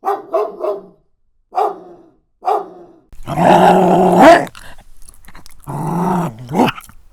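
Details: Dog barking, one of a compilation of many breeds large and small: a few short barks early on, then long harsh growling stretches with a strong low tonal hum.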